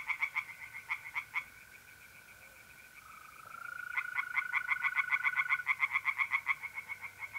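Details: Tree frogs singing from a pond on an April night in north-east Italy: rapid pulsed croaks, about four per second, in bursts with a pause mid-clip, over a steady high trill from mole crickets.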